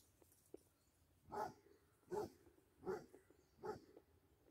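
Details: A Basset Hound playing with a deer gives four short, fairly deep barks, evenly spaced about every 0.8 seconds, in an otherwise quiet outdoor setting.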